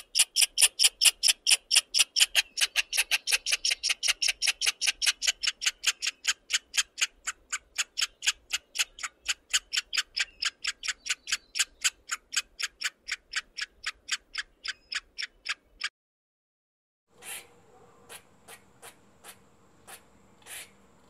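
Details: A squirrel in a forest gives a fast run of sharp, dry chips that gradually slows over about fifteen seconds.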